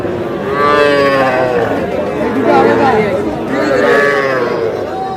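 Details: Young bull and heifer calves at a cattle market in Madaripur, Bangladesh, on 28 July, bought by a farmer. Drawn-out harmonic moos rise and fall three times over busy market chatter and bargaining voices.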